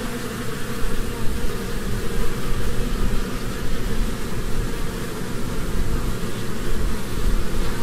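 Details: Honeybees in spring, flitting from flower to flower to gather nectar and pollen, make a dense, continuous low buzzing hum that stays steady and loud throughout, with no other clear sounds.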